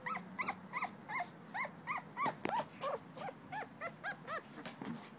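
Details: Two-week-old male blue-nosed American Pit Bull Terrier puppy named Davy, recorded 21 December 2011, whimpers in quick, thin, squeaky bursts at an even pace; a faint high whistle-like tone enters near the end.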